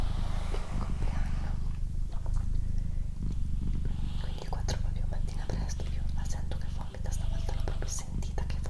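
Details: Deep throbbing purr of Doroti, a pet female cat, rolling on in roughly one-second cycles of inhaling and exhaling, while a person whispers quietly with light clicking mouth sounds.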